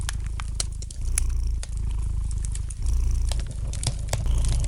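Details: A cat's gentle purr, a deep steady drone with louder swells at intervals, accompanied by the light crackling of a fireplace fire with scattered snaps.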